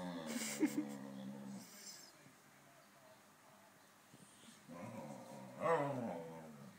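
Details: Saluki chatting with a Pharaoh Hound: soft, wavering whine-like vocalizations at the start and end, separated by a quieter stretch with faint background noise.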